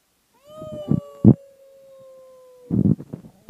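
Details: A male Cardigan Welsh Corgi gives a long, steady howl that sags slightly in pitch, amid loud knocks; the owner thinks he treats it as a wolf-pack bonding ritual.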